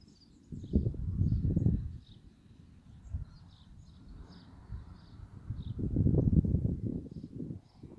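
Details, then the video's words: Claudie the pony of the Rubyvale Horses Teaching Humans herd, December 2018, snoring blissfully while being massaged: two low, rough fluttering bursts, each lasting over a second, a few seconds apart, with faint bird chirps high above. "snoring pony massage bliss"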